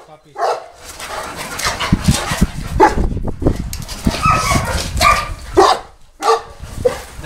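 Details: Boerboel barking at the Delatro Boerboels kennel on 30 October 2013: scattered short, harsh barks at irregular intervals, overlapping with people talking nearby.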